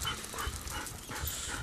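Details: Rescue dog, formerly a breeder dog for a backyard breeder, described as quiet but a snorer; steady soft breathy panting with rhythmic low-pitched puffs throughout.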